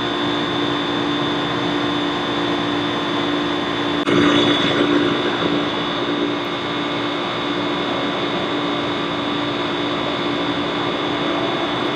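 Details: Loud, even engine drone with steady humming tones throughout and one brief broadband burst near the middle; no animal voice stands out.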